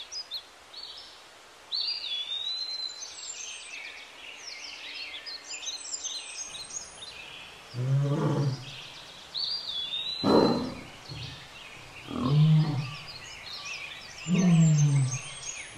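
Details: Pair of wild lions mating at Lake Nakuru, Kenya: after six quiet seconds, four deep, rough growls or snarls come roughly two seconds apart, the last ones loudest, while many birds chirp and whistle high above throughout.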